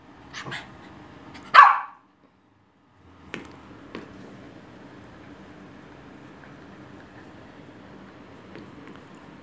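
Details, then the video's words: Six-month-old Cavalier King Charles Spaniel puppy that loves barking: soft short yips, then one loud sharp high bark, followed by silence and a couple of faint clipped yaps. "6 Months Old Cavalier | Loves Barking"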